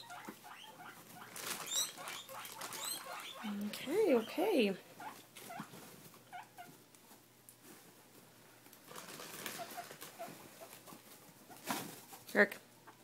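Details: Pet guinea pigs, a mother named Athena and her young, begging indoors for food such as lettuce. A pair of arching, rising-and-falling squeals comes near the middle, amid rustling, pattering feet and a person's voice.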